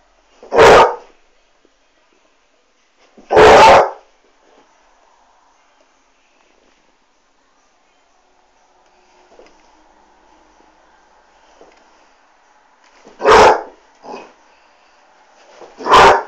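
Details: Basset Hound reacting to a Dyson vacuum cleaner, giving deep, loud single barks at irregular intervals of roughly three and ten seconds, with a quieter bark-like grunt and a faint humming noise in the pauses.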